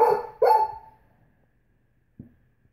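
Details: Female Great Pyrenees vocalizing in protest at nail polish: two loud, deep, harmonic woofs with slightly falling pitch, close together, then quiet with one faint low sound near the end.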